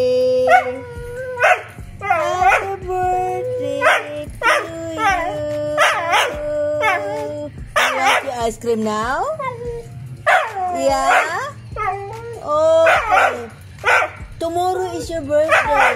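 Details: Pet Siberian husky howling along to Happy Birthday: wavering, sliding tonal howls, repeated in short phrases, over background music and a person's voice.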